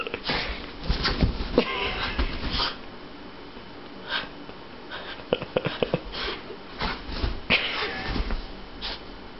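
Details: A Boston Terrier puppy, playfully wrestling and rolling with an orange tabby cat on a bed, snorts, sniffs and wheezes in rough, breathy bursts while a person urges him on nearby.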